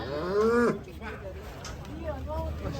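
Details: Prize-winning 1224 kg bull at a cattle contest in Jakarta, Indonesia, being weighed, gives one loud drawn-out moo that rises then breaks off abruptly, followed by fainter lowing, with crowd noise and music in the background.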